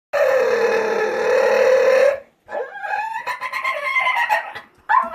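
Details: Pet dog vocalising to get its owner's attention with dolphin-like noises: a sustained two-second squealing whine, then a run of rapid, wavering squeaks and chirps rising and falling in pitch.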